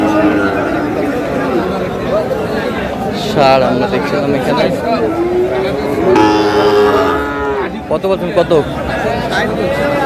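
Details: Sahiwal bull calves lowing at a cattle market in Comilla, Bangladesh, bought by a farmer, on 10 March; drawn-out moos with rising and falling tones over constant crowd chatter and men bargaining in Bengali.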